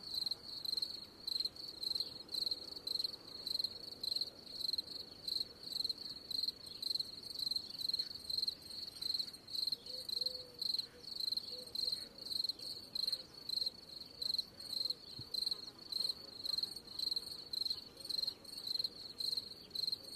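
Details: Steady cricket chirps, high-pitched and rapidly pulsed, repeating nearly twice a second without pause; a few faint lower chirps and soft background noise underneath.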